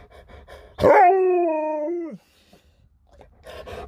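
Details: Alaskan Malamute giving a drawn-out, talking howl while finding its owner's phone: a sharp onset, then a steady, slightly falling tone lasting over a second that drops at the end, with faint background music.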